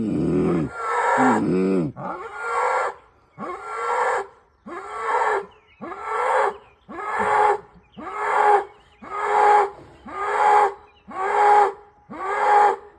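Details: A cow in Kentucky gives short, hoarse moos in a steady series, about one each second.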